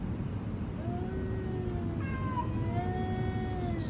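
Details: Several quarrelling domestic cats give overlapping meows: a short whine, then stacked wavering yowls that rise and sag, over a constant low rumbling hum.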